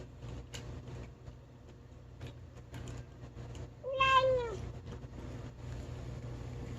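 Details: Rescue kitty, skinny and happy to eat real food, voices a single short arched meow mid-meal, rich in harmonics, surrounded by quiet eating clicks and a constant background hum.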